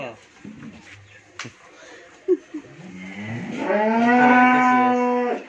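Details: A Friesian cow that has calved for the first time, kept with her heifer calf at a dairy farm in Bhangura, Pabna, Bangladesh. Soft shuffling and clicks give way to a loud, rising moo that swells, holds steady for about two seconds, then drops off.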